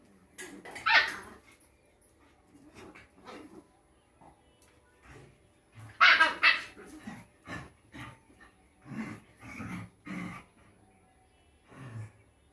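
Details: Young Rottweiler puppy barking in scattered bursts, a sharp loud bark early and a double bark later, followed by lower gruff woofs spaced a second or so apart.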